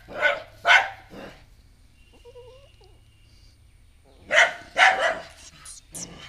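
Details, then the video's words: Pet dog barking at an unwelcome stray puppy newly taken in; two sharp barks, a quiet spell with a faint whine, then a fast cluster of harsh barks. "Dog keep on barking at the new puppy, a stray dog"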